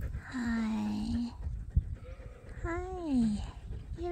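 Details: Sheep at Ewetopia Farms waiting in a morning pile-up to be let out to pasture: two wavering, harmonic bleats, one held for about a second and a shorter one falling in pitch, over low rumbling background noise.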